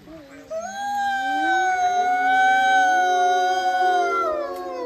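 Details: A female gray wolf in Golden, Canada, gives a long, smooth howl that swoops upward and holds a steady, mournful tone.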